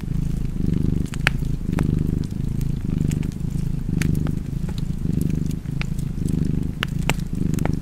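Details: Cat purring in a cozy fireside setting: a rumbling, rhythmic purr with gentle surges on each breath, about once a second, accompanied by bright crackling and popping from the fire.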